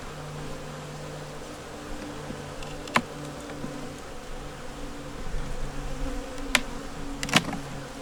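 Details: Honey bee nuc colony working to make it through winter, opened for inspection with a yellow queen, eggs and brood in the top; a low steady hum with a faint higher overtone, broken by a few sharp clicks of handling.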